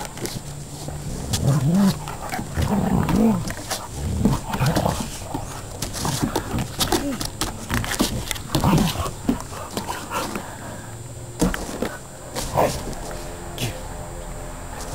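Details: Two dogs, an Akita and a border collie, Labrador and bull terrier cross, wrestling in play; low rumbling growls come and go in uneven bursts with scuffling and clattering noises throughout.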